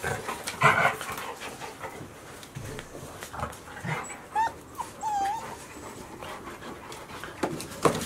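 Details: A 62-day-old Golden Retriever puppy, one of Chiro's litter born 26 April 2018 (five males, one female). A thin, wavering whimper rises and falls twice near the middle, between scattered scratches, clicks and quiet snuffles.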